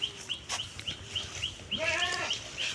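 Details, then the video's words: Goat in a Bangladeshi village, grazing on a neighbour's grass: one wavering, harmonic bleat in the second half, against a steady series of short, high, bird-like chirps repeating about every third of a second. "ছাগল গেলো পরের ঘাসে"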